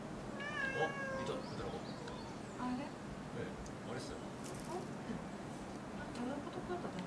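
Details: Cat at Gotanjo-ji, a temple nicknamed the cat temple, meowing: a drawn-out harmonic meow near the start, then shorter mews, over a steady murmur of people talking.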